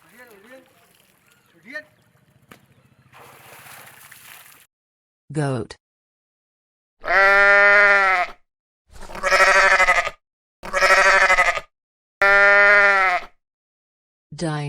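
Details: Goat bleating: a few seconds of quiet low murmuring, then four loud, quavering, wavering bleats about a second and a half apart, with the start of another cut off at the end.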